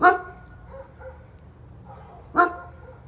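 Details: A neighbour's German Shepherd gives two loud, sharp barks about two and a half seconds apart, with softer whining or muffled vocal sounds between them over a low background hum.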